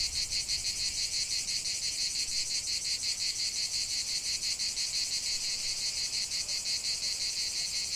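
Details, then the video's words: Singing cicadas in nature produce a harsh, high, rasping buzz with fast rhythmic pulsing around three beats a second, steady and continuous. "45 min de chant des cigales"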